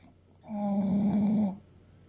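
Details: Single drawn-out snore from Fuku, an eight-year-old male English Bulldog weighing about 30 kg, asleep; a steady low rasping buzz lasting about one second.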